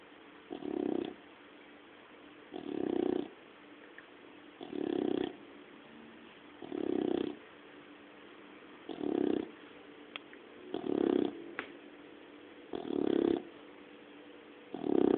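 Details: Puppy dog snoring while asleep, eight rhythmic breathy snores about every two seconds, each a low rasping swell separated by quiet pauses, with a faint steady background hiss.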